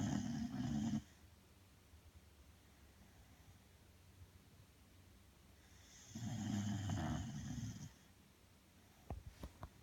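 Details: Belle, a sleeping Bulldog, snoring indoors: a long rough rasping snore at the start and another about five seconds later, each lasting roughly two seconds, with quiet breathing between and a few faint clicks near the end.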